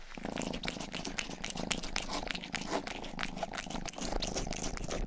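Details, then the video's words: Indoor close-up of the youngest cat, Rang-i, purring loudly while licking an ear microphone; a buzzy low rumble pulses beneath crisp, rapid tongue smacks repeating several times each second. "ASMR 하는 고양이!(Purring & ear licking sound)"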